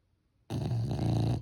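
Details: A sleeping French Bulldog's snore sets in abruptly after silence, a low, rattling, throaty drone held for nearly a second with a steady vibrating buzz.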